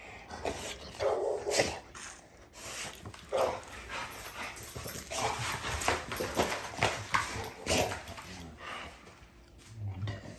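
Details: Navi, a female dog, produces repeated gruff barking bursts at irregular intervals through the clip, mixed with rustling and handling noise.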